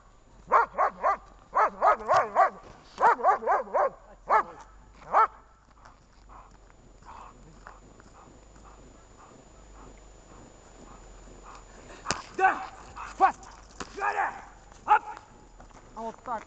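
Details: German shepherd barking in protection training with a rubber toy and search exercise, 10 February 2019: fast, rough barks in dense clusters for about five seconds, a quiet gap, then more scattered barks. A person is talking.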